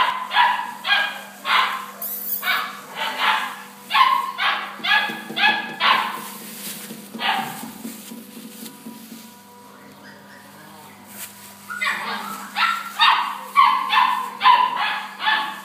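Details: German Shepherd dogs at a dog training centre bark in loud, rapid bursts, about one bark per second. The barking pauses briefly around the middle and then resumes, over a steady background hum.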